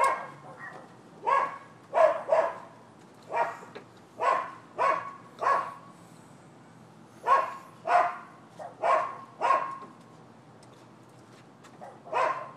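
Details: Dogs at a neighboring Florida property barking on 7 December 2015: a steady run of loud, harsh barks, roughly one every half second to second, with short pauses between groups over a low background hum.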